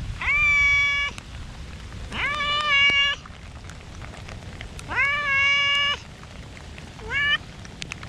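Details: Stray cats in a park during rain: four meows in eight seconds, three long level ones lasting about a second each and a brief rising final one, with drops tapping in the background.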